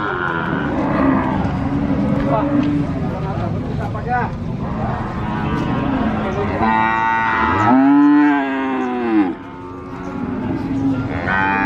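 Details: Cattle at the Sokaraja market in Purwokerto, Banyumas, Indonesia: several soft lowing moos and one loud, arching moo around the middle, amid people talking and general market noise.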